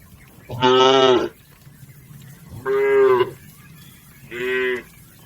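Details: Domestic cattle moving as a herd across a river to their pen give three strong moos in quick succession, the last shorter and slightly higher, against a soft noisy background.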